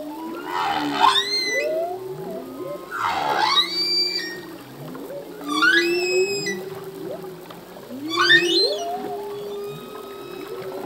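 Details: Male humpback whale song in open ocean: sharp upswept high cries arrive roughly every two to three seconds, each trailed by falling whistles, above a sustained mid-pitched hum and scattered short low grunts.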